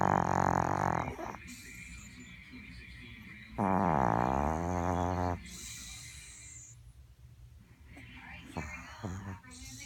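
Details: Snoring Chihuahua, dreaming in its sleep. Loud, low, rattling voiced snores at the start and around four seconds alternate with airy hissing breaths.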